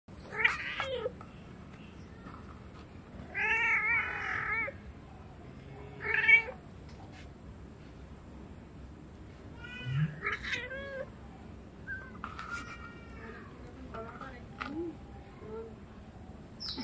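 Hungry cats give repeated harmonic meows, some drawn out and wavering, asking to be fed.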